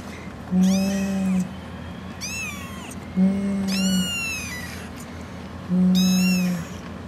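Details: Six kittens calling to their mother: three loud bursts of high, strongly harmonic meows, each about a second long, alternating with a sustained low even tone between them.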